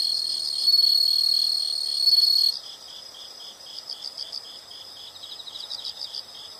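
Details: Shrill continuous insect buzzing holds for the first few seconds, then cuts away to softer, rhythmic high chirps pulsing in short bursts, several per second.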